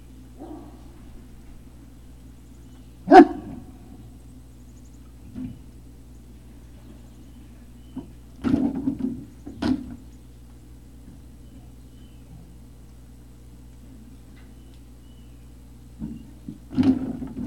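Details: Great Dane puppies at Puppy Hill, 3 May 2019, early evening: a few short, sharp barks scattered across the recording, with a loud one near the start, a pair in the middle and another at the end, over a steady low hum.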